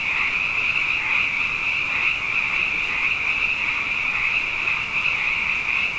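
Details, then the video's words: Abundant frogs singing at night following two wet years, forming a thick, constant high-pitched trill over a fainter lower drone, the massed calls overlapping seamlessly with no gaps or other sounds. "Frog Songs: Na Mele o nā Paloka"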